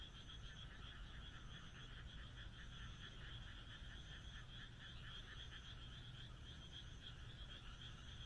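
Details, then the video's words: Frogs calling together on a moonlit night in the Japanese countryside: a dense, steady chorus of rapid pulsed croaks in two bright high bands, running without pause, over a constant low rumble. "田舎の月夜 カエルの鳴き声"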